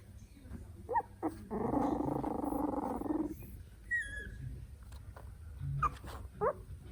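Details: Three-week-old Italian Greyhound puppies exploring their world make squeaky whimpers and a long, low grumbling growl; puppy calls.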